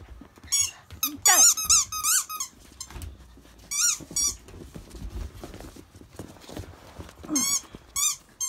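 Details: Several 52-day-old Akita puppies, still fed mostly on their mother Jun's milk: shrill, wavering squeals, one sliding sharply downward, with more whines near the four- and seven-and-a-half-second marks and soft rustling between.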